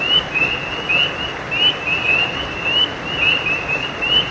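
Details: Creekside frogs at night produce a running series of short, bright, upward-flicking chirps, callers overlapping without pause above an even background hiss.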